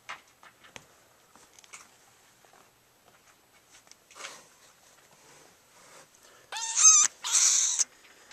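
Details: Kittens in a house, with the mother cat nearby eating. Mostly quiet clicks and faint rustling, then two loud, high, harmonic meows near the end, one rising and falling, the other a longer, noisier cry.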